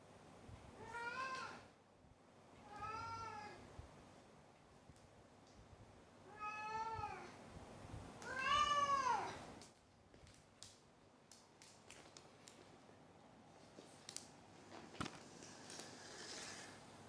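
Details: After catching a toy, a pet cat meows and then turns over on his back, seemingly proud: four drawn-out meows about two seconds apart, the last louder and arching, then soft rustling and clicks in a quiet room.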